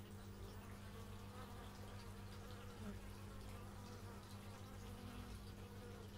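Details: Bees recorded in stereo with an x/y microphone, a steady low droning hum with wavering overtones from several insects overlapping, no single voice standing out.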